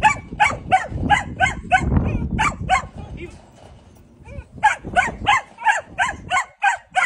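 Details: Malinois puppy during bitework training, giving short, high-pitched harmonic barks in a fast, steady series of about three per second; a brief pause mid-clip with low handling or scuffling noise, then the rapid yapping resumes.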